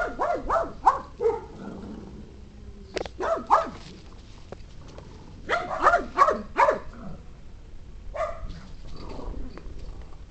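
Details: A pet pug barking in short, sharp bursts, mostly in quick clusters of three or four, with pauses between clusters and a few softer yaps near the end.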